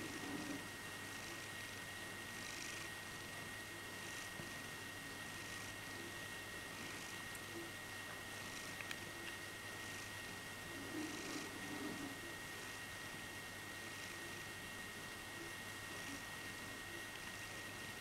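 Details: Ollie, a blue-eyed Birman cat, purrs in quiet contentment while being cuddled, flexing his paws in turn; a soft, faint purr pulses in breathy cycles about every one and a half seconds under a steady background hiss.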